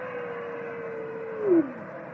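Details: A grey wolf in a forest holds a long, steady, mid-pitched howl that drops away at the end, drawing a response from the surrounding forest.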